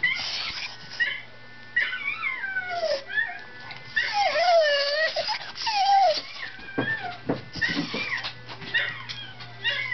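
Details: A singing dog gives high, sliding whines that rise and fall in wavering, yodel-like notes while a Wire Fox Terrier listens, puzzled about where the singing dog is.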